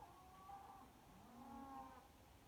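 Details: Cattle at Kyneton on 26 May 2023 give distant, long droning moos at night over a quiet, slightly noisy background; they call every night, possibly complaining about the weather.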